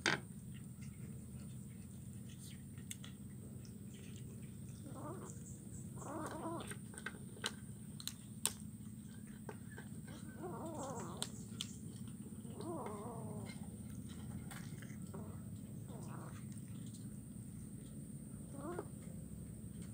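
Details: Kitten eating fish bones at Jalan Kolonel Sugiono, Kuala Kapuas, Central Kalimantan, recorded 17 July 2019; several short, soft arched mews spaced a few seconds apart over steady low hum, with clicks of chewing and faint voices.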